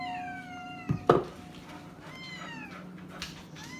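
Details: Jimmi J the cat at dinner time indoors, sharing the moment with Boxer dog Kandy: several downward-gliding meows in quick succession, then softer follow-up meows, with a couple of sharp clatters and a low room hum.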